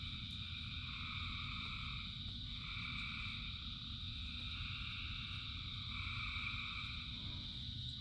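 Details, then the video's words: A rainy night chorus of countless frogs, with steady layered trilling and a few stronger phrases rising and fading. A heavy rain hiss runs underneath. "Frogs in Rain 2 Hours of Frogs, Thousands of Frogs Singing"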